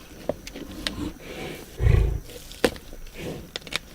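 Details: Lions feeding on a zebra carcass: one deep, rumbling low growl lasting about half a second midway, surrounded by sharp clicks and cracks of chewing and tearing, with a faint steady hiss in the background.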